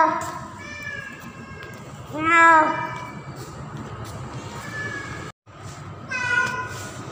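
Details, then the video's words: Female domestic cat in heat during mating season, calling for a male cat. Soft meows are followed by one loud, bending yowl that rises then falls, then two more shorter meows. Steady low background noise runs throughout. "KUCING BETINA MEMANGGIL JANTAN || Female Cat In Heat Calling Male Cat"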